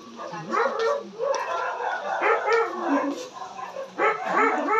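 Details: Pomeranian puppies yipping: rapid, high, squeaky yaps and whimpers tumbling over one another in an irregular run of about three per second, several young voices overlapping in a close, noisy room.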